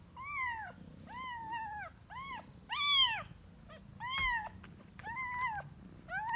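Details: Kitten looking for its mother, repeating drawn-out, wavering high meows, about seven in six seconds, some bending down at the end, with a faint click and low room noise between calls.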